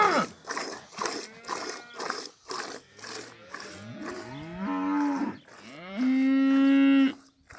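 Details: Rhythmic crunching bursts, like chewing, lead into two long, steady moos from a village cow, the second louder and sustained for about a second.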